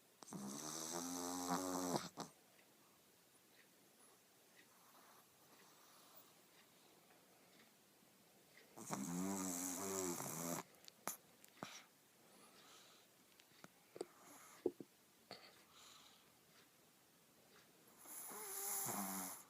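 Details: Sleeping Shih Tzu snoring indoors: three loud, rasping snore bursts spaced roughly eight seconds apart, each lasting about two seconds with a buzzy, layered tone, separated by near-silence with faint soft clicks.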